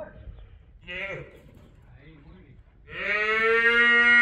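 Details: Young female calf at a bull-breeding ranch during a private bullfighting school training session: after faint voices and a short cry, a loud, sustained, low bellowing moo with rich even harmonics swells and holds steady for over a second.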